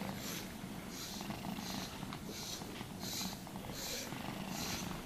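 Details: Purring cat during brushing and grooming: an even, low buzzing rumble sustained throughout, with rhythmic brush strokes sweeping roughly every three quarters of a second, no voices.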